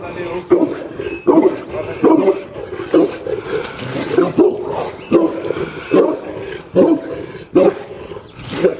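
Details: Boerboel dogs Alpha and Dixie at Middelpos Boerboels give deep, throaty barks in separate bursts, roughly one every second, with a human voice in the background.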